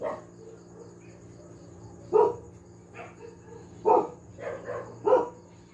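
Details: Domestic dog barking repeatedly and noisily: short harsh barks around 2.2, 3.9, 4.5 and 5.1 seconds, with softer yelps between and a steady low hum in the background.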